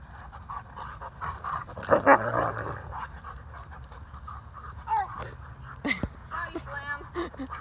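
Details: Malamute play session between Waldo, a male rescue dog, and Aspen, a large friendly female, recorded 13 August 2019. Rough growling scuffles surge early, followed by brief whimpers and high yips, with a person's voice in the background.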